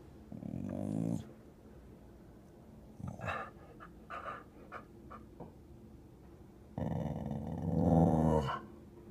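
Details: Female pet dog perched by a window, growling down at another dog four stories below; a low growl, then several short huffs, then a long rumbling growl rising in intensity, indoors.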